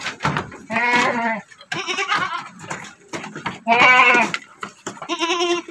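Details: Domestic doroan goat kid, a male about three months old, the single male born to a doroan doe and kept as a future breeding buck on a farm. Loud, harmonic, wavering bleats come in three bursts, with a man's voice between them.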